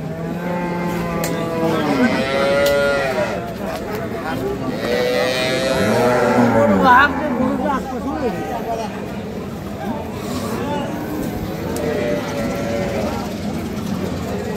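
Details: Cattle lowing at Ambari market in Dinajpur, Bangladesh, where dairy cows are sold with their calves, 28 April 2025: several overlapping moos, some arched and wavering, others short, amid constant crowd noise and occasional voices.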